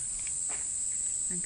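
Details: Large brown cicada (abura-zemi) singing in summer in Japan, a song said to sound like frying oil, 'jin jin jin': an unbroken, high, sizzling hiss holding steady for the whole moment, with faint soft ticks beneath.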